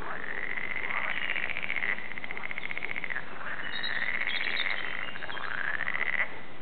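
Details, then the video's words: At the Warande, Tilburg, frogs produce a rattling, pulsed trill in long bursts of about two seconds, arching up and down in pitch, layered over a constant background chorus. "Frog songs"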